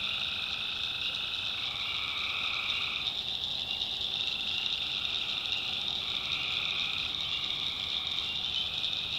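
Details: Night chorus of tree frogs from a North Carolina backwoods swamp: steady, shrill, overlapping trills with a lower pulsing layer that fades near the middle and comes back toward the end.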